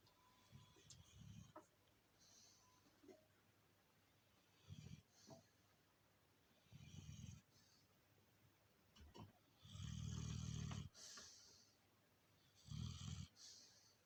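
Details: Snoring of an Alabai mother nicknamed Princess, asleep indoors: deep, rasping rumbles of about a second each, irregularly spaced, one long loud snore near the middle, with light clicks and hiss around them.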